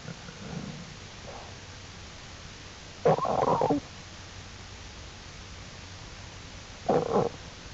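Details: Black bear cubs out of the den with their mother Jewel, exploring, April 2, 2012, under Wildlife Research Institute study; a longer raspy bawl lasting under a second, a quiet pause, then a shorter harsh cry, soft rustling behind.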